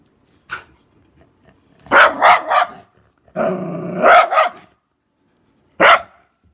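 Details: Shiba Inu, the father meeting his newborn puppies for the first time, gives short bursts of harsh barking and yapping at about two, three to four and six seconds, with near silence between; indoors and quiet otherwise.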